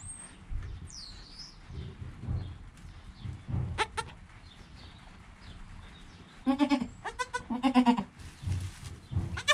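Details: Joel, a goat kid less than an hour old, with his mother Penny and filmed on a GoPro, gives a few scattered wavering bleats, a pair close together near the end, over a background of low shuffling noise.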